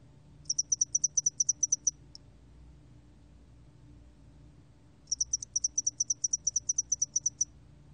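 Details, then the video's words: Spotted-wing hairy cricket singing, from a 2020 National Institute of Biological Resources recording: a high, thin train of about thirteen rapid ticking chirps, a silent pause of about three seconds, then another even burst of pulses over a quiet low hum. "점날개털귀뚜라미, 여러번 듣기, 곤충소리"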